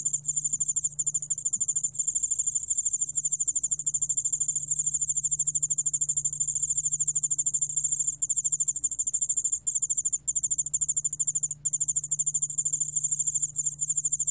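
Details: A very high, fine, near-continuous trill from the Yeoul-allak-bangul-beolle cricket, archived by Korea's National Institute of Biological Resources in 2020. Tiny breaks appear around eight, ten and twelve seconds. A soft low hum runs beneath.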